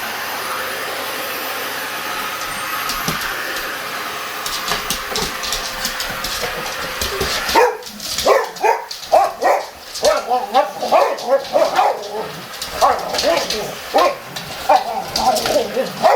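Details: Boxer dogs reacting to a vacuum cleaner: a steady broadband machine roar fills the first seven seconds, then a run of sharp, rapid barks and yelps rings out over the humming cleaner for the rest of the recording.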